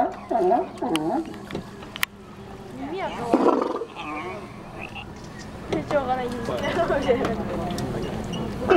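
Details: California sea lions barking in Santa Cruz, California: rough, harsh harmonic barks in short bursts near the start, a louder burst around three seconds in, then a dense run of overlapping barks through the final three seconds.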